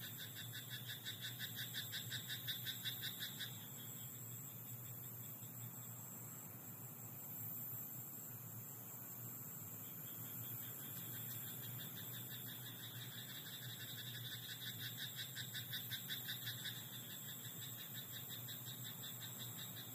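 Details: Frog croaking in a rice paddy at night: two bouts of rapid, evenly pulsed croaks, about three per second, each lasting a few seconds, separated by quiet stretches of steady low rumble and faint high insect hiss.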